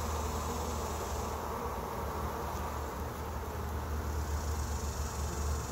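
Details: On day one of a honey bee trap-out, a thick continuous swarm drone, low-pitched and unbroken, its loudness rising and falling slightly with no other clear sounds.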